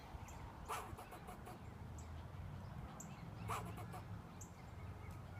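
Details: Squirrel barking at someone sitting outside: two loud, harsh barks about three seconds apart with faint shorter notes between, heard over constant low-pitched background noise.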